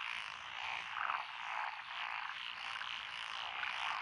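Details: Lotus paddy frogs in Echizen, Fukui Prefecture, Japan, on 12 June 2021, among them tree frogs, pond frogs and wrinkled frogs: a short burst of massed croaking, unbroken and buzzy, with a few louder individual calls standing out.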